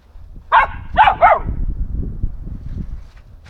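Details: Samoyed named Kaydo playing in autumn leaves gives three short, sharp barks in quick succession, about a quarter second apart, followed by rustling and low background noise.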